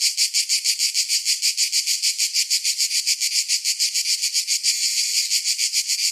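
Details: Cicadas in summer give a loud, high, buzzing song, throbbing in steady pulses several times a second.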